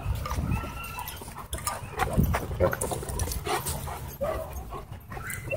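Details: Dogs playing together at a dog park, a rough-and-tumble play fight: low rumbling growls and short gruff snarls overlap in quick bursts, with scuffling, panting and faint human voices in the background.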